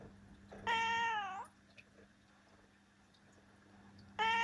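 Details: Seven-year-old female black cat Ciel meows twice indoors: a strong flat harmonic meow that bends downward at its end, then another begins after a quiet pause.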